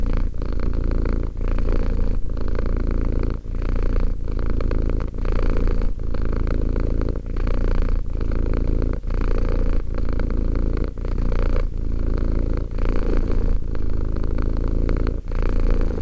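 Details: Sustained low purr from Romek, a two-year-old cat, throbbing evenly with quick gaps at each breath turn, close to once a second, over a long unbroken run of cycles.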